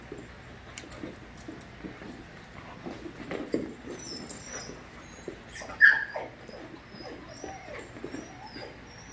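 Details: Five-month-old puppies playing together as a group: soft scattered whines and grunts, then a single sharp high yip about two-thirds through, over a steady low background hum.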